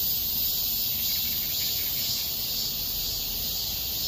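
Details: Summer cicada chorus in a small park, August 2021: a constant sizzling high buzz with a slight throbbing pulse, over a low murmur of distant background noise.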